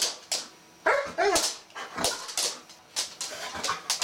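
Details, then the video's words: Female Golden Retriever whimpering indoors, eager to play with a bristlenose catfish she sees; short high whiny cries rising and falling, mixed with sharp tapping and scratching noises. "Dog goes nuts for fish.."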